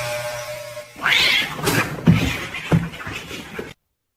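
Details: Pet cat from a compilation of funny cat moments gives one loud, drawn-out meow that rises then falls, followed by scattered thumps and clattering handling noises before sudden silence.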